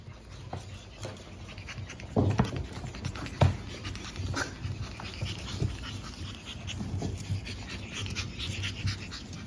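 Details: Pug puppy siblings born April 17, full of energy in a small room: rapid huffing pants and snorty breaths fill the clip, with a couple of louder snuffling bursts early on and a faint whimper among them.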